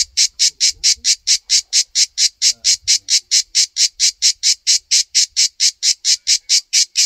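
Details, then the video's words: {'caption': 'Pulsed rasping song of a cicada on a tree in a backyard, steady buzzes about four each second, very regular, with faint low background noise at the start.'} "Hauntingly Beautiful Cicada Sounds"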